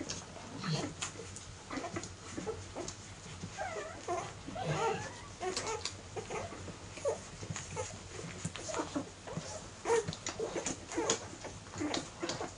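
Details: Airedale Terrier puppies ten weeks old, from a 2016 litter, give short high whimpers and curving whines in scattered bursts, with rustling and clicking handling noises throughout.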